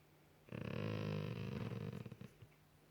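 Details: Male Golden Retriever Max, lying on a couch at night having his ear scratched, lets out a low, throaty groan rumbling nearly two seconds, one of the noises he makes when cuddled under his ears.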